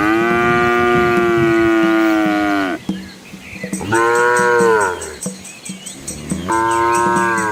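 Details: Dozens of Asian village cows and calves walking together along a quiet rural road through green rice fields; a long, steady, deep moo of nearly three seconds, then two shorter lowing calls, with faint rhythmic high ticking behind.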